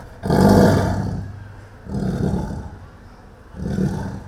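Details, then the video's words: Indian tiger in Kerala, described as angry, gives low, rumbling roars: one long roar followed by two shorter, quieter ones spaced about 1.5 seconds apart, with nothing else audible. "tiger roar good sound effect"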